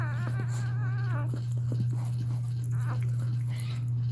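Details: Cane Corso crying indoors while another dog, Cashmere, is in labour: a high, wavering whine with stacked harmonics lasts about a second, dips and fades, then gives way to faint shuffling over a steady low electrical hum.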